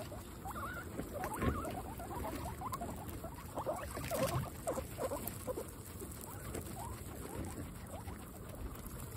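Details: Guinea pigs eating fresh grass: busy crunching and rustling of grass mixed with short, faint rising squeaks scattered across the recording.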